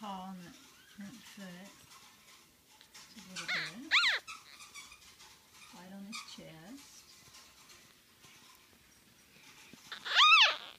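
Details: Five-day-old male red liver chocolate Shih Tzu puppy named Clifford, indoors: two sharp, high, rising-falling squeals, one near the middle and one at the end, while a woman talks softly about his white paw and red coat.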